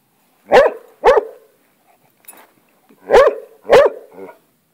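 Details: Domestic hound on the attack against a lizard: two quick loud barks, a short gap with faint scuffling, then two more barks and a soft trailing whine.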